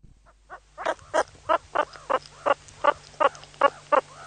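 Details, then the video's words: Meerkat (Suricata suricatta) giving a run of short, harsh chirping calls, about three per second. The calls start faint, grow louder and keep a fairly steady rhythm, with a low steady hum underneath. "Meerkat sounds, suricate call"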